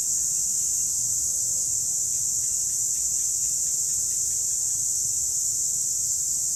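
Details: Cicadas in the wild: a steady, high, hissing drone that holds without a break throughout, with faint lower chirps underneath.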